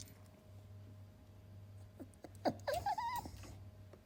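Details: Shiba Inu puppy, caged indoors and eager to get out, not yet able to bark, gives a short high nasal whine that rises, wavers and holds briefly before fading, after a quiet stretch of steady low room hum and a few soft taps.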